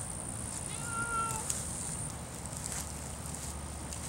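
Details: A Savannah cat watching a stork it seems eager to catch, with birds and ducks close by, gives a single clear, drawn-out meow near the start, followed by a low background hum and faint clicks.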